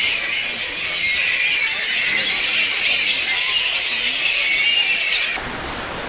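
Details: Dense evening chorus of many fruit bats roosting in trees on Misool, Raja Ampat, West Papua: high, shrill, birdlike chattering and squabbling, bickering for position before leaving to feed; a man speaks softly over it.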